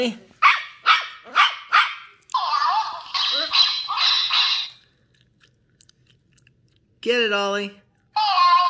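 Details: Shetland Sheepdog puppy Ollie, female and 10 weeks old, barks excitedly while exploring. A rapid string of high, sharp yaps runs into longer, strained barks, then falls silent before a human voice talks.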